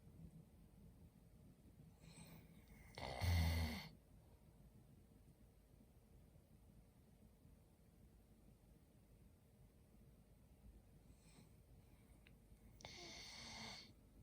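A sleeping Labrador Retriever puppy snores softly, with two breathy, rasping snorts about ten seconds apart.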